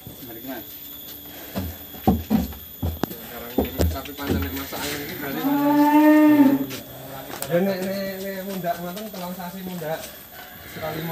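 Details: Cattle of a farmer's herd in Grabag, Magelang, being weighed; a long drawn moo with stacked harmonics swells and then falls, followed by a second lower, wavering moo, over background music and scattered knocking sounds.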